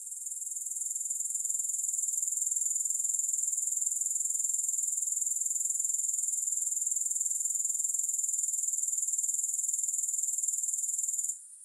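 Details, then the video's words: Grasshopper chorus as a sustained high sizzling trill of rapid pulses. It rises slightly at the start and runs evenly for about eleven seconds before stopping suddenly. "Grass Hopper Sounds"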